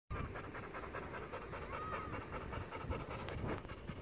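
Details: Madruga, a docile pit bull from Maceió, Alagoas, panting in quick, steady breaths, a soft rapid huffing repeated several times a second throughout, with a low rumbling background hum.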